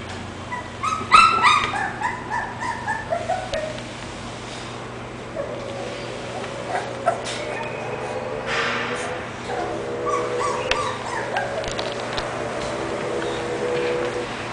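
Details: English bulldog giving a quick burst of high, harmonic yips and whimpers in the first few seconds, then softer drawn-out whines later, over a steady low background hum.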